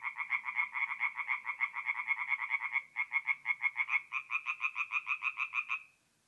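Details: Tree frogs at a forest pond at night in north-east Italy, mid-April: a clear run of evenly spaced pulsed croaks, about four a second, briefly pausing, then another caller joins before the series stops abruptly into silence.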